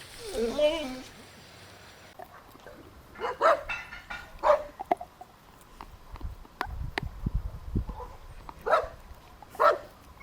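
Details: Dogs at play on a grassy meadow: a short burst of whining yelps opens, followed by sparse, spaced single barks every second or so, with background rustling and possible voices.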